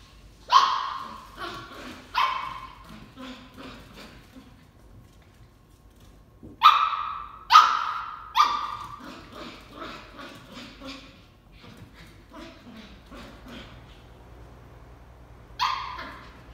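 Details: Shetland Sheepdog puppy barking at a tennis ball while playing: sharp, bright barks in clusters, a pair near the start, a loud burst of three around the middle, softer yips between, and one last bark near the end.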